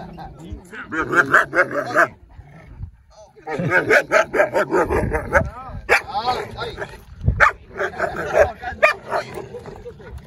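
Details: Dogs barking in sharp, irregular bursts, about two to three per second, with a pause near two seconds, then a longer run; a man talks in Spanish over the barking, and a Cane Corso is present.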